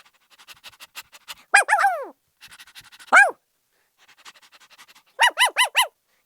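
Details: Light panting leads into a drawn-out, downward-sliding yelp from a happy puppy, more panting, one short falling bark, then a closing run of four bright, evenly spaced yaps.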